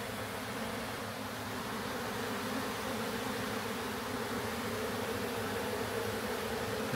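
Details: Honey bee swarm found swarming in a backyard and being captured into a new hive: a steady, dense droning hum of many bees, unbroken for the whole stretch, with no voices.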